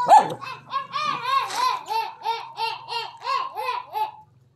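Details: A dog barks at a non-venomous snake in a quick, steady series of high, ringing yaps, each arching up and falling away, about three per second, stopping abruptly after four seconds.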